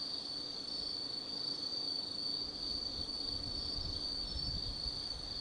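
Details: Autumn insects calling after dark in the Tsukimi no Mori forest, Kaizu, Gifu Prefecture, Japan; a constant piercing high trill from many singers, with a low distant rumble of traffic growing in the second half.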